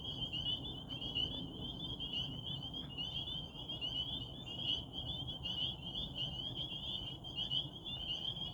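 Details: A dense frog chorus at a Rehoboth pond under a waxing gibbous moon, high and shrill, blending into one unbroken trilling band.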